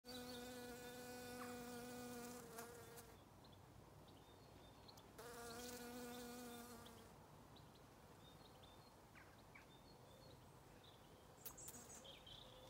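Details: Bees in an autumn garden on a regenerative farm in County Kilkenny, Ireland: a steady droning buzz that passes close twice, for about three seconds each time, separated by quieter stretches with faint ticks.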